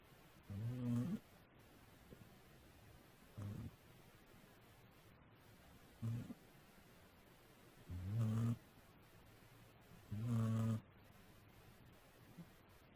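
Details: Sleeping cat snoring, captured with a faulty, quiet microphone; low, buzzy snore bursts about half a second long, repeating roughly every two to three seconds, over steady background hiss.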